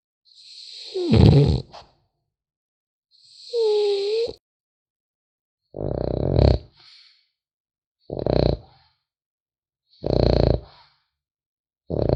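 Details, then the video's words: Snores of a sleeping French Bulldog puppy. Deep, raspy bursts repeat about every two seconds. One breath ends in a thin whistling squeak, and quiet gaps fall between the snores indoors. "Храп щенка французского бульдога"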